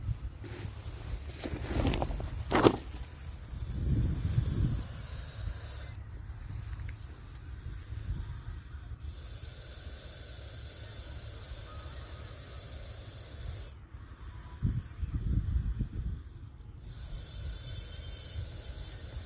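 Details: Russell's viper hissing when threatened, a sound likened to a pressure cooker whistle: a broad, steady breathy hiss with high-pitched sustained noise, broken by short silent gaps, over low rumbling handling noise.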